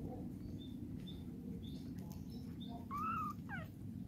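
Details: Mother cat cleaning up her kittens; faint small squeaks, then one short, flat, high meow followed by a quick falling chirp, all above a steady low droning background.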